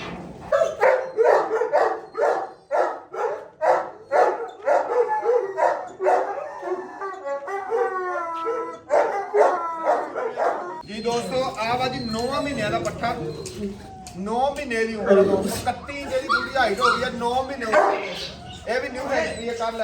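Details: Kennel-kept Gultair dogs, a male and a pregnant female: a fast, regular run of barks about three per second, then wavering howls and yelps overlapping in a noisy, crowded mix.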